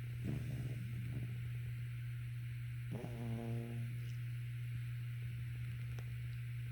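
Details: Sofie, a Shih Tzu Pomeranian, snores while sleeping: rough, breathy rasps in the first second, then one drawn-out buzzy, tonal snore near the three-second mark, all over a steady low electrical hum indoors.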